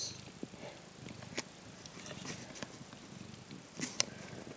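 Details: Three-day-old Ragdoll kittens make a quiet, steady low rumble, a purr-like pulsing throughout, with a couple of brief, sharp clicks or squeaks near the start and the end.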